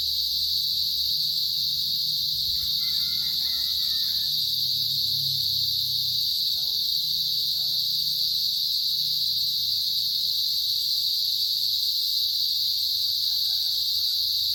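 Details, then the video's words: Cicadas chirping in a steady, unbroken high-pitched hiss with a fainter shrill band above it; faint harmonic calls rise briefly around three and thirteen seconds beneath the drone, with low rumble throughout. "75 seconds of cicadas chirping"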